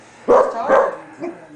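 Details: Standard poodle barking during a 2003 game of tug ('tuggie') between Bailey, a male, and his girlfriend Libby: two loud, sharp barks close together, then a softer third bark, with a person urging Libby to get the toy.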